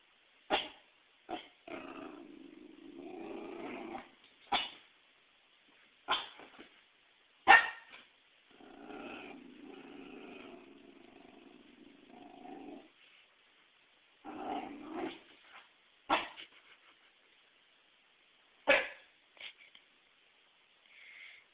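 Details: Pet Pembroke Welsh Corgi, a female that hates volleyballs, alternates sharp barks with long rumbling growls lasting a few seconds each, a nervous barking bout at the ball indoors.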